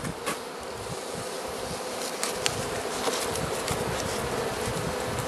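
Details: Colony of Carniolan honey bees being fed by the Mountain Camp method, Southern Finland, 16 March 2017, outside temperature +3 °C, queen present; a continuous even buzzing drone with a few sharp clicks and taps from the hive.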